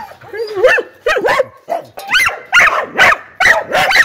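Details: Dog barking as a ringtone sound: a rapid run of short, sharp barks with rising-falling pitch, about two per second, growing louder and denser toward the end.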